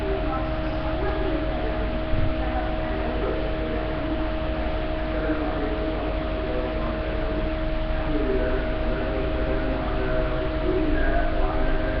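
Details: Steady broadband hum and noise with faint chime-like tones throughout, no clear animal voice.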